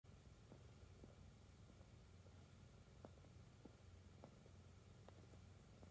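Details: Cat purring while kneading between a futon and a padded chanchanko vest: a quiet, steady low rumble runs throughout, with soft scattered clicks and taps on top.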